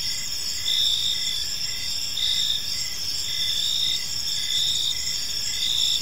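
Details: Evening park chorus of crickets, several high-pitched trilling voices overlapping continuously, with a softer lower chirp pulsing roughly every second against a low, even hum of environmental noise.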